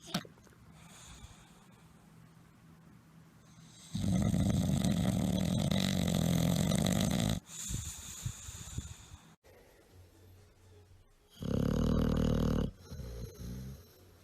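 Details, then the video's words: Tired bulldogs napping peacefully and snoring very loudly indoors; two heavy, deep rattling snores of several seconds and about a second, separated by softer breathing and faint snorts. "tierd bulldogs snoring"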